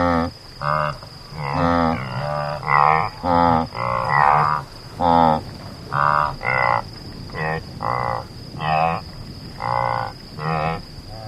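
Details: Repeated honking grunts from an antelope, brief harmonic bursts coming roughly once a second in an irregular series, a few overlapping as if from more than one caller, over a constant faint high whine.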